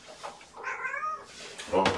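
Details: Young foster kittens at an early morning formula feeding indoors; one clear, drawn-out wavering meow in the middle, then a sharp knock and a man's voice.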